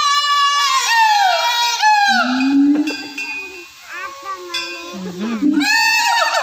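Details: Gibbons, described as siamangs, give a morning call at a zoo: loud, clear, ringing tonal hoots that swoop downward in pitch in quick bursts, with lower murmuring human voices between the calls.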